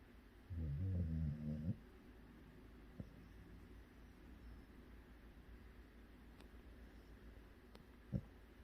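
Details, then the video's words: Sleeping Jindo mix dog snoring: one loud, rough, throaty rumble lasting about a second, then quiet breathing with a couple of faint clicks. "강아지 코골이"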